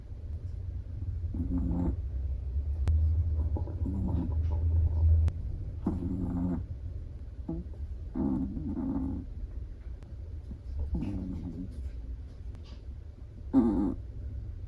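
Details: Sleeping black-and-tan Chihuahua snoring while relaxed indoors: soft, rough breathy snores repeating roughly every one and a half to two seconds over a steady low rumble, with no other clear sounds.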